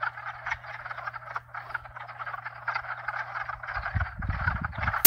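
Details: Dense night-style chorus of frogs from at least two and perhaps four species, recorded in 2022: overlapping rapid croaks and trills pulse continuously, over a steady low hot tub pump hum, with gusty wind rumble near the end and a sharp click at the close.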